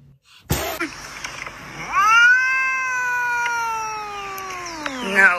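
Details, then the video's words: Domestic cat giving a long, drawn-out meow that starts rising, holds a steady harmonic tone for about three seconds, then slowly falls. A sharp knock comes before it, and faint talk sits in the background. "Angry Cats"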